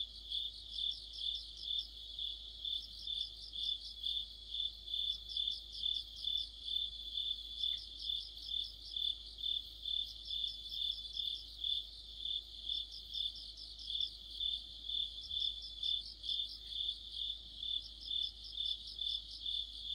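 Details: Autumn night orchestra of crickets and fellow insects: a constant high ringing trill pulsing twice a second, overlaid by repeated bursts of quick higher chirps every few seconds, steady throughout.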